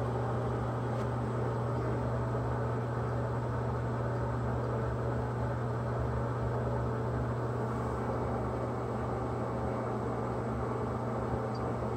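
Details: Loud, unchanging mechanical hum with a strong low drone throughout, like an appliance or engine running indoors; no animal voice heard.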